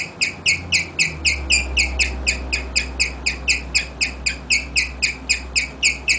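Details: Pet guinea pig Rigel chirping to its people, a serenade of quick, high, bird-like notes pulsing evenly about four times per second, with a low background hum entering after the first second.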